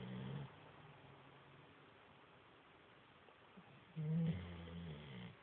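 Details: Sleeping chocolate Labrador Retriever snoring: a low nasal snore fades out in the opening half second, near-silence follows for over three seconds, then another louder, deep droning snore rises at about four seconds and trails off.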